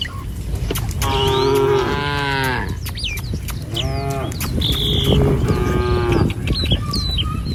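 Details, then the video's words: Herded village cows head in single file over a wooden bridge to green pasture. Two drawn-out, wavering moos are joined by a softer third, while sharp twittering birdsong sounds throughout. "Gembala Krumunan Sapi Lembu Jinak Berjejer Melewati Jembatan Kayu Menuju Rumput Sedap Suara Moouu"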